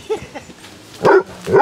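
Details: Basset Hounds, one of 23 on a 5-mile group walk around Ham Hill, Somerset, outdoors: two loud, short barks with strong harmonics about half a second apart, after faint earlier yelps, with low background noise.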